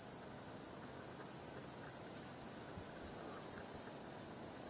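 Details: Hot 37°C morning in Gifu Prefectural Hyakunen Park, Japan, 23 July. A wall of cicada song forms a high, even, hissing whine with slight pulsing dips roughly twice a second.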